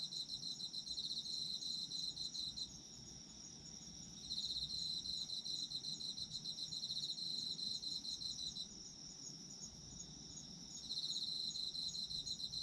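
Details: Autumn insects heard for sleep: a high, rapidly pulsed trill that comes in bursts of several seconds separated by short lulls, with a thin continuous ringing above and a faint low background.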